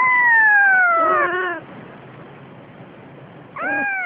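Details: Siamese cat mother carrying a days-old kitten: one long drawn-out meow sliding slowly downward and ending hoarse, then a quiet pause before a shorter arched meow starts.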